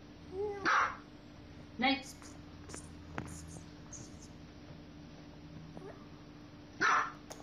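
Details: Indoors, dogs at play give a few sharp, short barks spaced several seconds apart, with quieter background noises and a person speaking between them.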